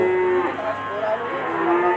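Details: Cattle at a busy livestock market where a large, calm, non-aggressive bull is up for sale; a steady, flat-pitched moo gives way to overlapping, wavering higher moos across two seconds, with a constant market hum behind.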